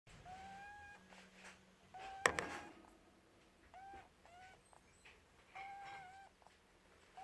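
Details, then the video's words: Pet rabbit named Buttons asleep and snoring: thin whistled squeaks, each about half a second long, rising slightly, recurring with each breath every one to two seconds, with one sharp knock partway through in a quiet indoor room. "My rabbit Buttons snoring"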